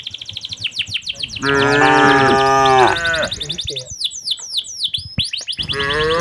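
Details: Cattle walking toward their pen in the late afternoon, herded by a cowherd in the village. One sustained, rich moo dominates the middle, with a shorter lowing at the end and dense bird chirps around it.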